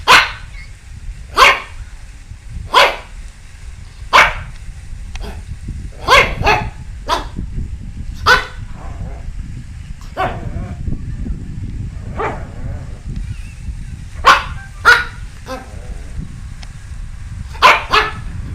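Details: Dog barking in sharp, separate yaps spaced one to two seconds apart, about fifteen in all, some in quick pairs, over a steady low rumble of background noise.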